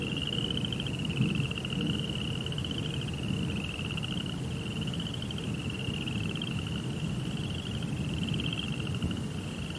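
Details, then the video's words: Crickets at night in a Japanese Zen rock garden with a koi pond: a high, steady pulsed trill in bursts of about a second, running almost without pause, over a constant low rumbling background. "Cricket Sounds"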